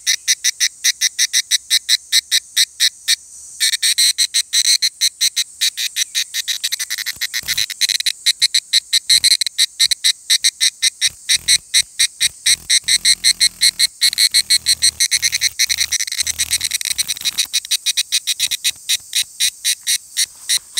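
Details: An evening cicada sings at 17:42 on Monday 23 July 2018 in Takahashi, Japan, a high, ringing series of rapid pulses repeated steadily throughout.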